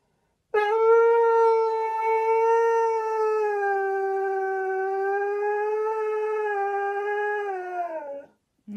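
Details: Domestic dog lets out one long, unbroken howl lasting about seven and a half seconds, an even, sustained tone that fades and drops slightly at the end, with a person's voice briefly following.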